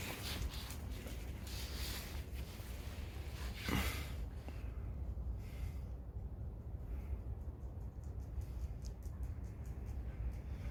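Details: Rescue dog Chobi, adopted from an animal welfare centre, indoors at home: one sharp, explosive sneeze burst near the middle, surrounded by quieter snuffling breaths over a low steady room hum.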